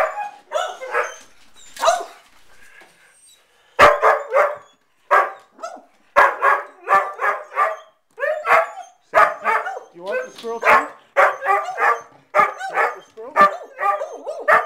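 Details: A Bedlington terrier barking while looking for squirrels and chasing around outdoors; rapid series of high, yappy barks in bursts, roughly two to three per second after an early pause.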